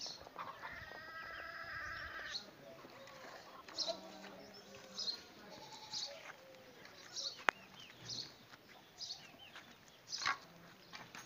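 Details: A goat meets a dog. A long, steady, nasal bleat lasts about two seconds, followed by quieter short calls, with bird chirps and a low murmur of voices around it.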